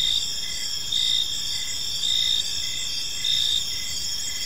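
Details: Crickets chirping in a park on an evening: dense high-pitched insect chorus with steady trilling bands, louder pulses returning roughly every second, over faint low background rumble.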